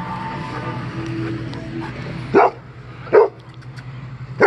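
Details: A Golden Retriever barks, frightened of a deer bow target: a low steady hum fills the first half, then three short, sharp barks break out at uneven intervals near the end.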